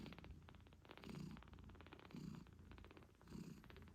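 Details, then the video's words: Loud, raspy purr of a British Shorthair mother cat nursing kittens 8 days after birth, pulsing rapidly with each breath in and out, roughly once per second, close and indoors. "Cute Kittens Meowing Yawning Sleeping Cat Mom Purrs Loudly 🥰 8 Days After Birth British Shorthair"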